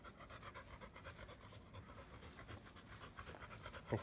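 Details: Bee, a black Labrador Retriever shedding its undercoat, panting hard: quick even huffs, about four per second, breathy and continuous, with a single sharp click near the end.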